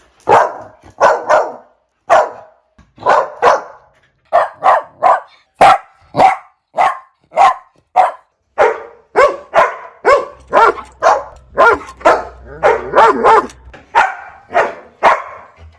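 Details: Puppy barks in quick succession, short high yaps repeated roughly every half second, growing denser and faster toward the end, with a faint low hum in the background midway.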